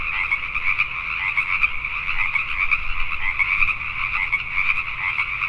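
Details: Pacific tree frogs calling at night in Richmond, British Columbia, Canada: a dense, unbroken chorus of many overlapping croaks forming a steady, pulsing drone in two pitch layers, with a faint low rumble underneath.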